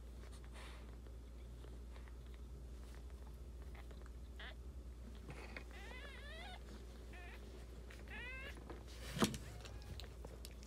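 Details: Newborn Boston Terrier puppies squeal during their purebred mother's labor on day 63, January 23, 2018, a litter of nine born indoors; faint, high arching squeaks come in two quick bursts over a steady low room hum, with scattered clicks.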